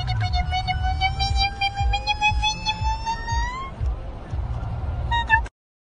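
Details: A puppy gives a single drawn-out howl that climbs slowly in pitch for nearly four seconds, rich in overtones, then a short higher yelp, with a steady deep rumble behind it.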